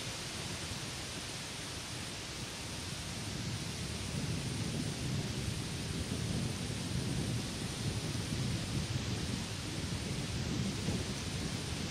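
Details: Steady rain and a low rolling rumble like distant thunder fill the whole recording, with no animal calls heard.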